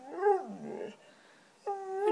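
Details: White female Siberian Husky 'talking' for cheese doodles: a wavering whiny moan that trails off, a short quiet gap, then a steady, clear, rising whine.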